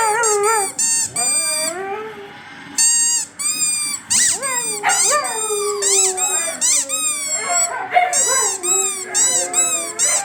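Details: Siberian Huskies howling at their squeaky toy: a busy mix of short wavering yips, rising and falling howls and squeaky bursts, overlapping voices tumbling one after another throughout.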